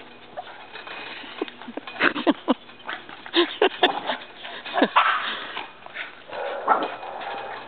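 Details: Two pet dogs, Labrador Retriever Jena and Boston Terrier Franklin, competing at tetherball: rapid irregular barks and whiny yelps in a cluster, over steady background hiss and play scuffles.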